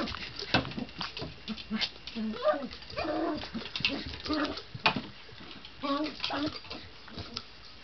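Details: Excited indoor poodle making happy sounds while maneuvering a ball around obstacles like a coffee table; short whiny grunts and yelps in bursts, mixed with a person talking and clicks of the ball.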